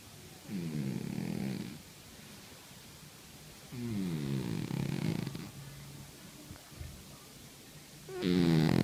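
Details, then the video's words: Sleeping house cat snores in slow, even rhythm: two drawn-out low rattling breaths roughly three seconds apart, then a sudden louder, brighter snore at the end; quiet room otherwise. "50 shades of snoring Cats"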